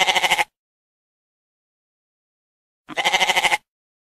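A goat gives two harsh, quavering bleats separated by a pause of about two seconds.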